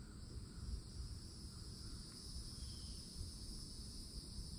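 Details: Cicadas hold a very loud, steady, high, shimmering drone over a low background rumble at a forest edge with old oaks in Florida in summertime, with birds chirping.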